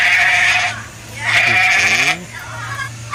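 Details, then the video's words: Goat during feeding, with two rough, wavering bleats under a person's coaxing Indonesian speech and a low steady hum in the background. "Suara kambing lucu, funny goat sounds animal goat sound"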